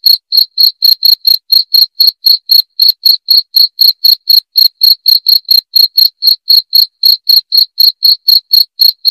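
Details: Chirping cricket intended to scare off rats, giving rapid, ringing, high-pitched pulses about four each second in a steady, loud sequence, with no other animals or noise.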